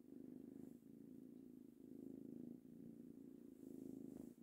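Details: Three-month-old male kitten purring away happily under petting; a soft, low continuous rumble rising and falling with each breath, about four cycles.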